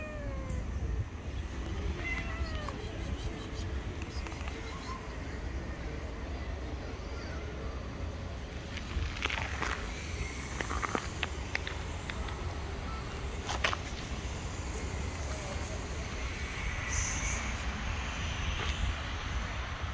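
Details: Hungry stray street cats running toward a familiar voice, giving a few faint, short, falling meows early on, masked by steady low rumbling traffic or wind noise and occasional clicks.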